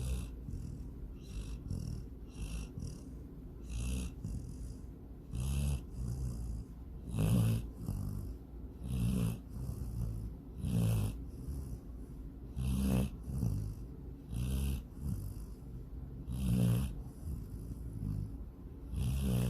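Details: Sydney, a female dog, snoring while dreaming of chasing a rabbit and swimming in a lake; low rumbling snores repeat irregularly about every two seconds, each a short throaty burst with faint snorting.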